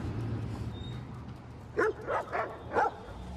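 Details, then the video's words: Stray pitbull and rottweiler fighting over a female, the rottweiler winning dominance: three sharp barks around the two-second mark, spaced roughly half a second apart, over a low rumbling background. "Pitbull & Rottweiler fight over dominance!!!"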